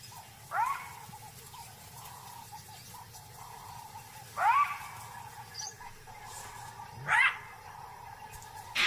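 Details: A jackal gives sharp, yelping alarm barks that rise and fall, spaced a few seconds apart, later echoed by vervet monkeys chattering in the distance.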